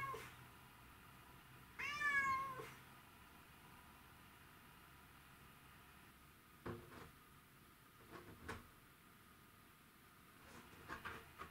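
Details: A white and ginger male Domestic Shorthair cat gives one drawn-out, tonal meow that rises then falls, followed by a few faint knocks; the cat is said to miss his owner, recorded 12 August 2018.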